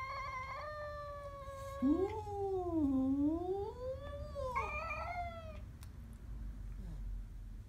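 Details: Siamese cat growling at a stray cat; a drawn-out, wavering, harmonic-rich yowl that dips low in pitch near the middle and rises again, with a low background rumble throughout.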